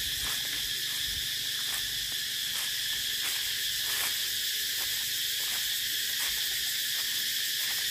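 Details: Cicada calling with an intense, unbroken high buzz, overlaid by short soft ticks recurring roughly every half second to second.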